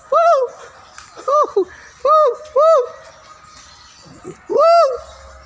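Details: Siamang giving loud, arched whoop notes that rise and fall, in short bursts of one or two, with brief gaps between them and a longer pause before the final strong note.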